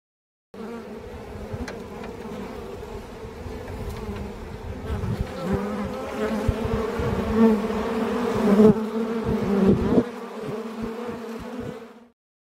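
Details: Bee hive in Moyock, North Carolina, on August 16, 2022, closed off the night before nearby crop dusting and reopened after the spraying. A continuous, steady tonal hum swells in intensity toward the middle and then fades out.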